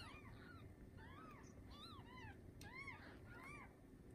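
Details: Litter of seven newborn Bengal kittens from the TICA-registered queen Lisa, born the morning of 7/15/19 in a cattery: a near-continuous chorus of overlapping high, arching mews repeating every half second or so, over a low hum.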